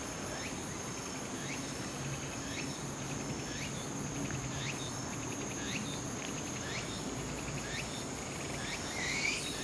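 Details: Walker's cicada heard while climbing Ikarizuka mountain in Japan, 4 September 2016, a day before Typhoon No. 12 came ashore; regular upswept buzzy phrases roughly every second, fairly faint, set against a continuous high insect drone.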